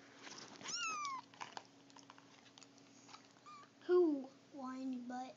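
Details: Three-week-old Siamese mix kittens kept indoors with their mother; a high, falling, harmonic mew near the start, then softer short mews later, with a child and an adult talking over them.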